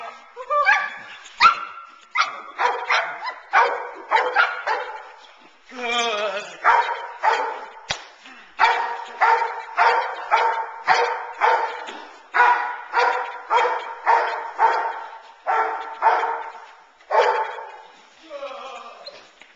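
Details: Teal, a nine-month-old Boerboel bitch, in sleeve-based protection training meant to build intensity and focus on the man. Gruff barks arrive in a long, rapid, uneven series, with sharp cracks and some talking mixed in.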